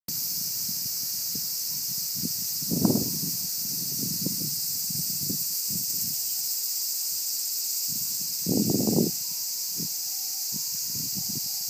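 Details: Cicada singing in summer 2015, a steady, continuous high-pitched buzzing drone that holds unbroken throughout, with low muffled thumps and rumbles from handling or nearby movement underneath.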